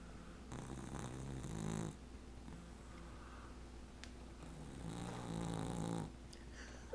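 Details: An 18-week-old American Cocker Spaniel puppy, asleep and dreaming indoors, snoring in two long, low, rasping breaths, each lasting over a second, with quiet breathing between.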